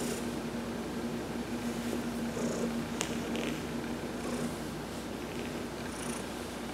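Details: Heidi the cat purring during a massage while sunbathing, November 19, 2020; a steady, low, rumbling purr runs throughout, with a few faint, brief high hissing sounds above it.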